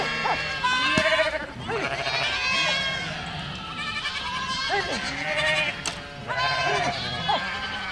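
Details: Village goats on the move in a herd bleat in bursts, wavering, vibrato-laden cries overlapping each other, with brief quieter gaps between groups of calls.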